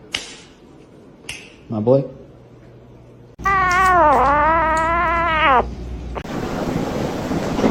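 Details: Pet cat giving one drawn-out, wavering yowl of about two seconds that dips then rises again, after a brief quiet squeak and faint voices, followed by a broad hissing noise.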